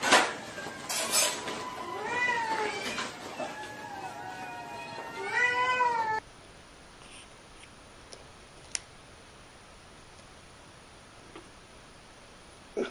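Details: A house cat gives a run of drawn-out, bending meows, some rising then falling, over the first six seconds, followed by near silence broken by a couple of faint clicks.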